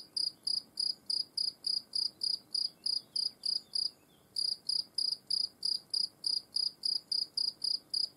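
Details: European field cricket observed at close range, chirping steadily: short shrill pulsed chirps about three per second, one brief pause near four seconds, then the same even rhythm resumes; background otherwise quiet.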